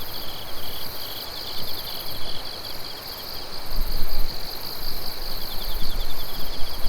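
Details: Chorus of insects on an autumn night, recorded under moonlight on 16 September 2021 in Japan: steady high shrill trilling with rapid pulsed chirps repeating throughout, several callers layered, over a low rumbling background.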